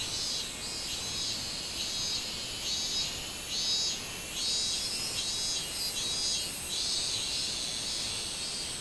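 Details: Minmin cicada singing in summer, recorded 24 July 2016: a shrill, high buzzing drone that swells into pulses a little under one second apart, with steady insect hiss underneath.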